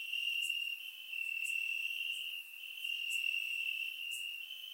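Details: Crickets in grass on a warm summer night in Bulgaria, recorded in surround sound: a steady piercing trill with small dips in loudness and a few crisp high clicks spaced about a second apart.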